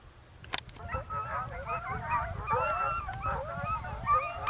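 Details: Italian hound pack chasing a hare in Evros, Greece, October 2023: a click and a brief knock, then dense, overlapping, quavering bays from several dogs, rising and falling in pitch, getting steadily louder.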